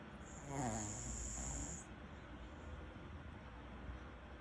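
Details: Maltese-Shih Tzu mix dog Ddudu snoring while asleep after a day's work; a low rumbling snore with a brief high whine near the start, then soft steady breathing noise.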